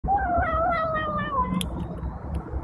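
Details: Adopted male cat making his habitual sound while eating: a long, drawn-out tonal whine held for about a second and a half, slowly falling in pitch, over steady low background rumble.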